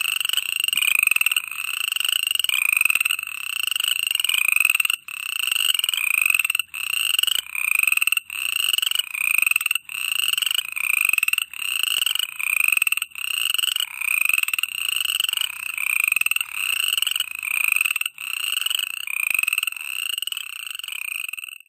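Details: Frogs calling steadily at night, recorded close: a continuous run of rasping, pulsed croaks, each lasting under a second and following almost without pause, bright and high-pitched with strong overtones and no other clear sounds.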